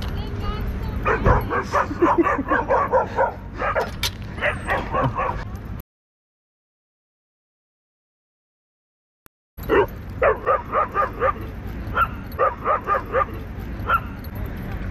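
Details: Dogs fighting at a dog park, a territorial Pit Bull attacking a Belgian Malinois: rapid bursts of harsh barks and yips, roughly two per second, with a silent gap midway, people shouting over them.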